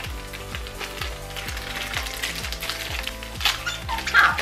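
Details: Electronic music with a steady thumping beat over crinkling, rustling and crunching noises, with no animal voice heard.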